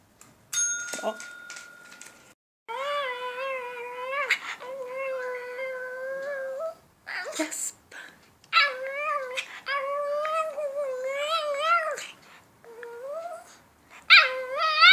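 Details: Andro the Shih Tzu talks on command during a session of dog tricks indoors: a string of yodelling, wavering whines in several phrases, with short gaps between them. A person gives Swedish commands, and a bell-like tone rings early on.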